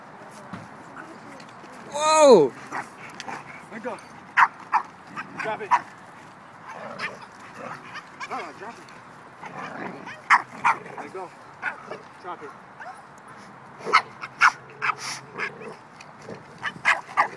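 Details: Small dog barking at bigger dogs to demand her toy back: sharp, short barks scattered through, a rising and falling whine near the start, and a person speaking softly between them.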